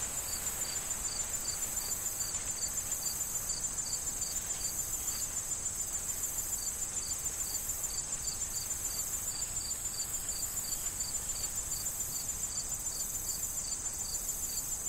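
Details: Crickets calling from a corn field in autumn wind: quick, evenly spaced high chirps repeating several times a second above a constant thin insect buzz, with gentle rustling of corn stalks underneath.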